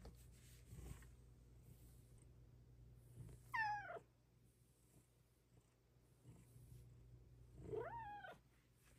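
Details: Female Bengal cat at home talking to her owner, giving two separate short arched meows several seconds apart, with a quiet low hum in the room between them.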